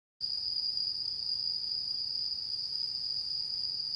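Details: Autumn insects singing on the harvest-moon night of 10 September 2022: a steady, unbroken high-pitched ringing trill with a faint higher overtone, continuing evenly throughout.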